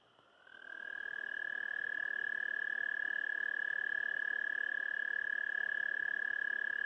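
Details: Anaxyrus americanus, the American toad, calling to mate: after a brief quiet start a high, sustained trill swells in and holds a level pitch, buzzing evenly to the end over light background hiss.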